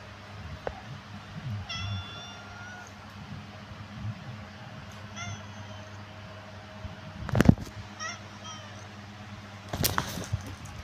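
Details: Black and white tuxedo mother cat in Jakarta city, Indonesia. Three short harmonic meows around two, five and eight seconds, each slightly rising then level, over a low steady hum, with a few sharp knocks and clatters near the end.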